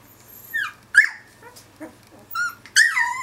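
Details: Finnish Lapphund puppies, two weeks old, complaining and sneezing: scattered short high whines and small snuffly sounds, ending in a louder drawn-out falling whimper, with a quiet low hum throughout.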